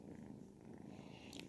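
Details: Ragdoll kittens aged 10 and 12 weeks purring steadily, a soft continuous rumble throughout, with a brief bright rustle near the end.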